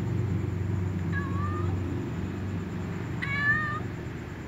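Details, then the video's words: Little ginger cat with a white cat, just before feeding with other cats: two clear meows, the first short and falling, the second longer and richer, about two seconds apart over low rumbling background noise. "little ginger cat meows with the white cat"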